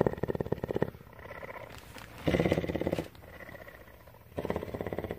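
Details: Female cougar kept at a rescue in Bridgeport, Texas, purring close up: a loud buzzing pulsed rumble, a softer gap, another strong burst near the middle, then a third rise at the end.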